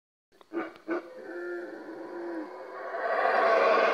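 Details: Howler monkeys howling in Yaxha, Guatemala: two short gruff bursts open, followed by a low drawn-out hum, then a broad hoarse roar swells steadily louder toward the end.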